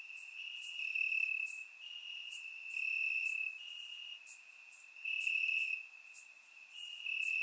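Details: Crickets chirping in grass on a warm summer night in Bulgaria, captured with a surround microphone: a steady high trill holds one pitch throughout, swelling and fading in bursts about every second, with fainter higher buzzing above.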